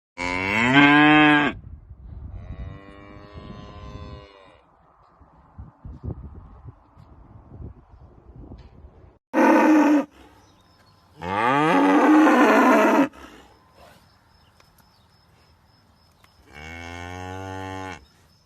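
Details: Cow mooing in loud, drawn-out bursts of about one to two seconds, some rising in pitch, separated by quieter stretches of rustling and low scraping noise; five moos in all.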